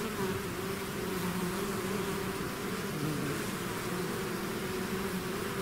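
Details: Swarming bees out of their hive produce an unbroken, layered hum, a low droning buzz with a brighter humming band above it, steady in loudness from start to finish.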